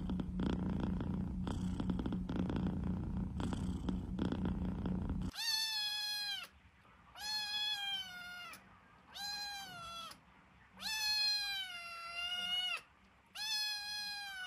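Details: Domestic cat opening with a steady, low rumbling purr for about five seconds, then switching to five drawn-out, tonal meows, each about a second long with rich harmonics, separated by brief silent gaps.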